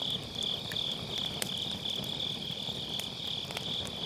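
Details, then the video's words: Grass insects on an autumn night beside a campfire in a round fire pit, recorded with an MKE600 microphone: a steady high, shimmering trill pulses on without pause, while the burning firewood gives sharp crackles and pops now and then. "가을밤 풀벌레 소리"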